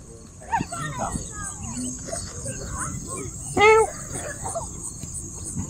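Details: Domestic cat in Siem Reap, Cambodia, giving one short, loud, tonal meow about two-thirds of the way through, after a few fainter calls earlier, over a steady high insect hum and soft background noise.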